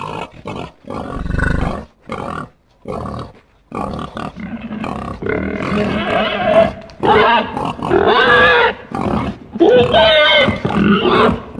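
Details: Wild boar, a herd-living relative of the domestic pig: low choppy grunts in short bursts at first, then louder, higher squealing calls with wavering pitch, repeated in several bursts toward the end.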